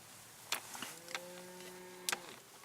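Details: Domestic cows mooing near a Cattle Egret at the Goose Haven farm, Montezuma, New York, on 4 November 2017; a level, sustained low moo with steady harmonics lasting over a second, framed by sharp clicks and handling knocks.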